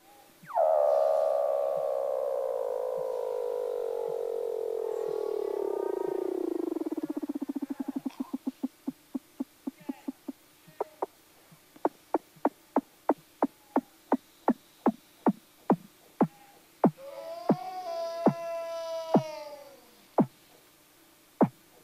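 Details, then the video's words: Weddell seal, from a recording featuring two males and a practicing pup: a long eerie whistle sliding steadily downward for about seven seconds, then a long train of sharp clicking pulses, a brief harmonic wavering call, and more pulses. "Eerie Vocals of Weddell Seal Pup & Adult"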